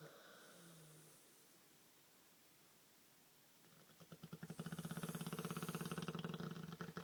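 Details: Pet Olde English Bulldogge named Bruno snoring in a human-like way: faint low murmurs and a long near-silent stretch, then a rough, rapidly pulsing snore with a low growling drone, loud and sustained to the end.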